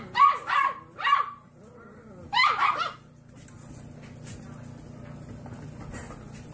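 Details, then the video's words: Puppy learning to bark, giving five high, sharp barks: three in quick succession, a pause, then a close double bark, followed by quiet room hum with faint rustling. "Puppies Barking - Cute Puppies Barking Compilation"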